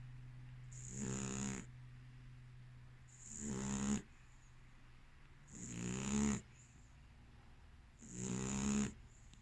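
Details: Female American Staffordshire terrier snoring in her sleep: four rough, vibrating snores spaced about two and a half seconds apart, each rising in loudness and ending abruptly, with a breathy hiss and low background hum.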